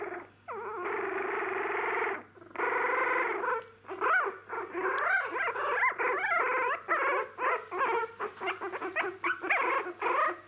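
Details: Newborn Jack Russell Terrier puppies, eyes newly opened, making first steps; long continuous crying whines held for over a second each, then a quick string of rising-falling squeaks and yelps, several pups together, low steady hum.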